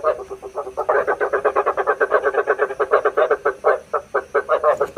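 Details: Lure recording of frogs for night trapping: a steady stream of quick, rattling croaks repeated several times a second, with overlapping voices throughout.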